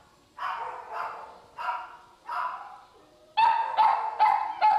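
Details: Chihuahua mix dogs held in the Downey shelter give a run of short, sharp barks in two spaced groups: four softer barks about every half second, then a faster, louder burst of five yips near the end, with no other sounds.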